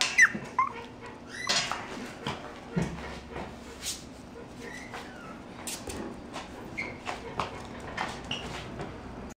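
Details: Mixed-breed puppy whimpers in thin, high whines that bend up and down, loudest in the opening second, then scattered softer squeaky whines amid rustling and clicks.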